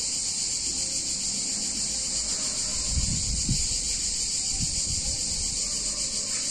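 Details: Steady, shrill cicada chorus on a hot summer day in an Italian town, a continuous hissing buzz without breaks, while a few soft low thuds and knocks sound midway through.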